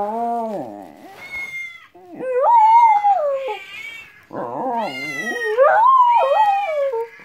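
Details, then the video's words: Dog going crazy over weird sounds, howling continuously: long wavering howls that rise and fall, breaking into yelping, quavering notes, with some high chirping tones in the background. "Dog goes crazy over weird sounds"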